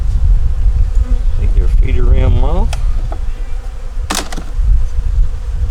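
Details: Honey bees in a nuc working to make it through winter, top of the hive just removed during an inspection; a steady low hum runs throughout with heavy low rumble, a brief human voice in the middle, and a sharp clack near the end.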